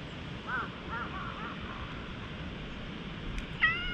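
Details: A slightly wary stray cat in a park at high elevation, rubbing its head and allowing petting, captured on a GoPro HERO8, gives soft wavering mews, then a sharper rising meow near the end amid faint outdoor hiss.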